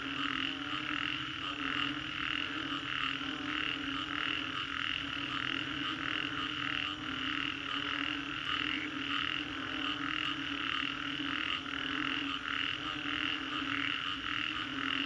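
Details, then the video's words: Frogs calling after a storm in Green Corridor, Singapore: a dense chorus of pulsed croaks between about 1 and 4k, with steady tonal bands lower and high, overlapping many callers continuously. "Frogs after Storm"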